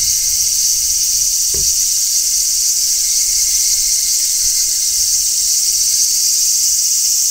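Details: Unbroken high-pitched buzzing shrill of large brown cicadas singing in midsummer, even in loudness, with one short soft knock early on.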